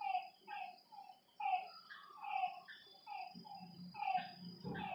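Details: Frogs calling at night by a lakeside: short, harmonic notes dropping slightly in pitch, several overlapping callers repeating about once a second. A steady high insect whine runs underneath, and a low rumbling sound comes in near the end.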